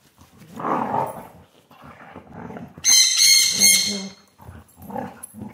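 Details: Carma, a Siberian Husky up for adoption at Pet Harbor Rescue, playing on a couch on 5 September 2022; rumbling grumbles broken by a sharp high squealing yelp, then more low talkative mutters.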